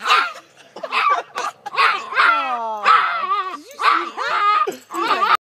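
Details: Small farm dog screaming like a gremlin, a loud harsh wavering cry with strained rising and falling tones in bursts, mixed with a person talking to it indoors.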